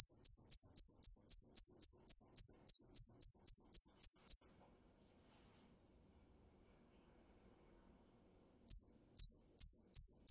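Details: Field cricket (dế mèn) chirping in clear, evenly spaced pulses, close to four per second, for about four seconds, then a long silence before the chirps resume near the end.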